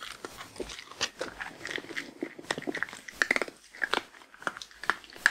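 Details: Female Shetland Sheepdog eating her daily meal of grain-free lamb and kangaroo kibble; sharp, irregular crunches and clicks come several times per second, with softer chewing and lapping noises between bites and no talking.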